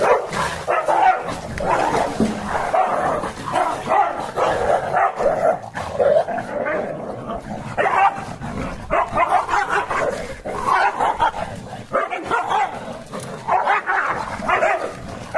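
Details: Rottweiler and beagle fighting: two dogs in an aggressive clash, with harsh, overlapping barks and snarling bursts that run almost without pause for fifteen seconds, loudness rising and falling with the scuffle.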